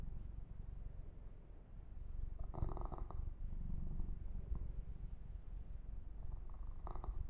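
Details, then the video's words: Massaged kitten Yumak keeps up a low, rapid rumbling purr that swells slightly in the middle, with short rasping bursts of fur grooming and light handling noise. "Kitten Massage - Perfect Sleep Helper Ear to Ear Purring"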